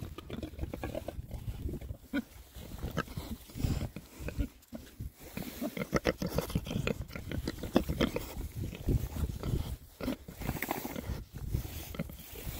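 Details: Winter foraging by six Oxford Sandy and Black pigs, a rare breed, out between storms; dense low grunting and chomping blend with constant rustling and rooting sounds, a busy, uneven texture.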